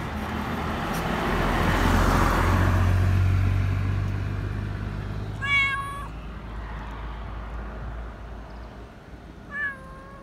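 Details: A black Persian cat living as a community cat in a park gives two short, harmonic meows, wanting attention and affection, over a steady low rumble of passing traffic.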